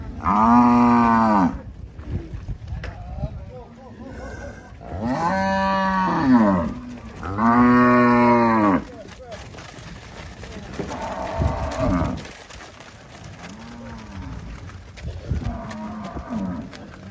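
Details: Angus cattle for sale on a farm in Palmeira dos Índios, Alagoas, Brazil: several loud, long harmonic moos, each about one to two seconds, with quieter lowing later and faint rural background.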